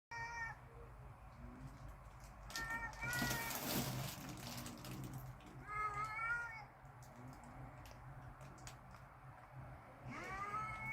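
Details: Cats outdoors in a backyard, angry and ready to fight, trading drawn-out wavering yowls with bright harmonics four times over eleven seconds, one burst of broadband rustling noise midway, steady low hum underneath.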